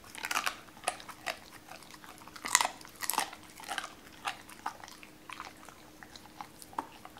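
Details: Doberman named Cola eating raw chicken for the first time indoors, at first wary, later given cut pieces: sharp wet crunches and bone-cracking bites in irregular bursts, with quieter gnawing between louder snaps.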